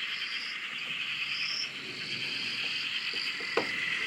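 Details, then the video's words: Frogs massed at a dam in Australia, recorded from a shack: unbroken high trilling chorus with drawn-out rising notes, steady level, one brief click toward the end. "Frog Chorus- Australia"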